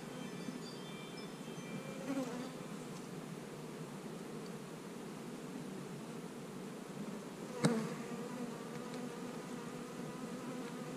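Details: Honey bees buzzing while hives are being split, with queen cells in the splits; a steady low droning hum with layered harmonics runs throughout, broken by a sharp knock near the end.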